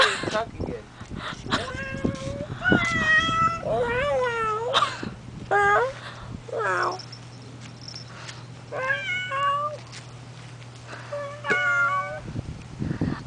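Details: Found stray cat handled by boys after basketball, meowing insistently in a rapid string of short, wavering, rising-and-falling cries, some strained and yowling, mixed with boys' voices and handling noises.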